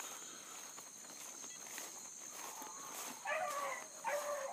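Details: Bluetick hounds, with a new pup learning among them, in full cry on a big running rabbit early on 7-22-12. After quiet insect buzz, two bursts of distant, tremulous, mournful baying close the stretch.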